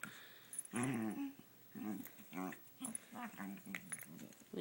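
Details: Female dog making funny noises while playing with her owner at home. Grumbly, throaty growls come in short bursts, repeated roughly every half second to second, with a quiet indoor background.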